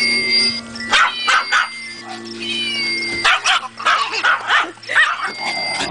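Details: Kennel dogs at Kingcreek Kennel bark and yip excitedly in response to a meow, with long wavering meow-like tones threading between sharp, clustered barks and a steady low hum.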